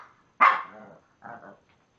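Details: Indoor Shih Tzu vocalizing to coax another Shih Tzu into play: one loud, rough bark-like yelp followed after a short pause by a quieter, grumbling second note.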